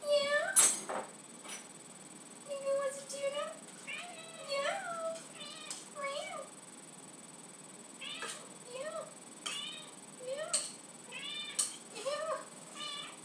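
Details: Indoors, Lucy the cat keeps meowing for tuna: low wavering meows and higher bent ones recur every second or two over thirteen seconds, mixed with a person's questions and occasional clicks.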